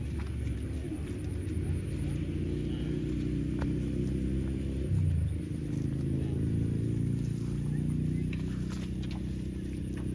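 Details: Cow lowing: a deep, drawn-out moo rises and falls over about four seconds in the middle, set against a constant low outdoor rumble with faint clicks.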